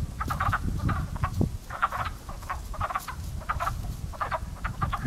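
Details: Frogs at a pond in early spring, their crow-like calls sounding as clear, rapid clucking croaks in tight groups of two to four, several animals overlapping, over a softer low rumble.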